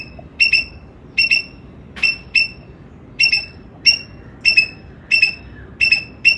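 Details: Rapid paired chirps from a squirrel, piercing and high, repeated in bursts roughly every half second to second, with ringing overtones and soft low background noise beneath.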